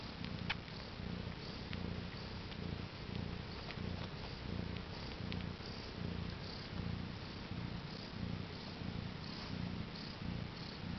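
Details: Pet cat, mother of four kittens born around 10am CET on April 22, 2010: deep, even purring rising and falling with each breath, roughly eighty cycles a minute, in a quiet indoor setting.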